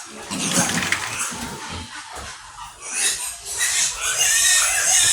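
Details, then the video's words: Domestic sows in a pen in the Philippines: grunting at first, then loud continuous high squealing from several pigs in the last seconds. "Sumpit ng mga inahing baboy !"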